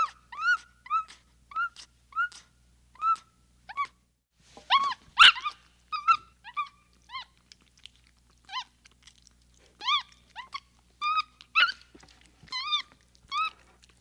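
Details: Capuchin monkey chattering in a steady stream of bent, whistled chirps, with a loud sharp burst in the middle and denser overlapping squeaks afterward.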